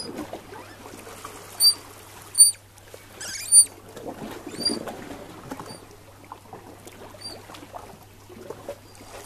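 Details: Female Eurasian otter with two pups being fed pollock, west coast of Norway, November 2016. Sharp high-pitched squeaks, some slightly falling, come in scattered bursts amid dabbling, sloshing water noises and a few louder knocks.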